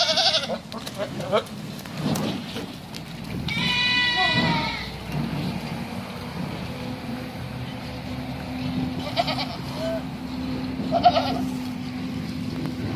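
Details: Bishi goats, nineteen animals, giving a long quavering bleat early on and a few shorter, fainter bleats later, amid human voices, a low engine-like hum and handling noise.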